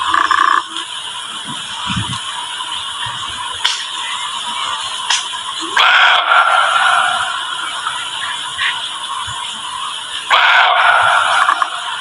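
A barking deer gives loud, abrupt barks every few seconds over a steady hiss of insects.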